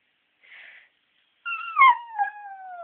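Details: A female West Highland White Terrier left home alone while the other dog was at the vet gives a short breathy huff, then a drawn-out, slowly falling howl; she rarely howls and had been whimpering.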